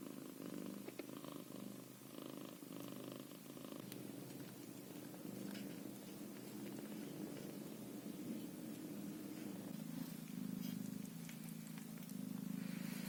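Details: Ginger Scottish Fold kitten, at an age when its eyes have just begun to open, purring steadily indoors. The low, even rumble runs without a break through the whole stretch and is quiet and close.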